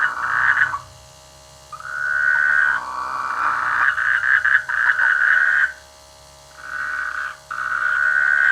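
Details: Frogs croaking in rice fields near a village during the rainy season; long buzzy, rattling croaks around a mid pitch, several overlapping bursts lasting about a second each with short quiet gaps between.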